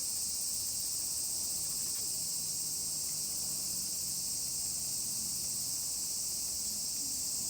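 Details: A dense cicada chorus fills the air as Colin the miniature pinscher is walked outdoors among many singing insects. The sound is a constant high buzzing wash, with faint low humming underneath.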